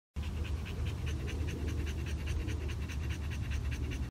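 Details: Bulldog available for adoption, panting steadily: fast, even, breathy pulses about four per second, with a low rumble underneath throughout.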